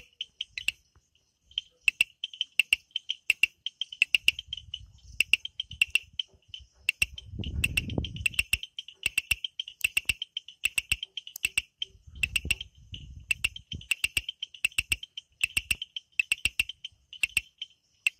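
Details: Night frog chorus in forest of the Amboli hills, Sindhudurg: rapid high chirping pulses and crisp repeated clicks run throughout, with occasional low rustling or handling thumps underneath.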